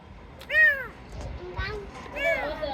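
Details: Rescued kitten, its eyes opened only days ago, found after two or three days abandoned in garbage, gives two drawn-out, arching meows about 1.7 seconds apart over faint background speech.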